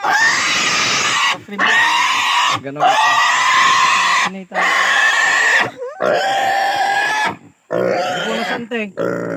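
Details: A native pig being castrated gives long piercing squeals, each held one to two seconds with a steady tonal pitch, separated by abrupt pauses for breath.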